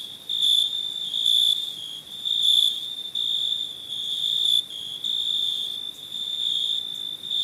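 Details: Nighttime crickets give an unbroken high trill with loud pulsed bursts at first, then a steadier, softer ringing.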